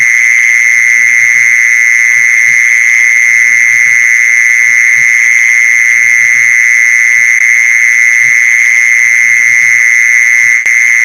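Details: Continuous mole cricket call played to draw mole crickets in, a level high buzzing tone that never breaks, with faint thuds and clicks in the low background.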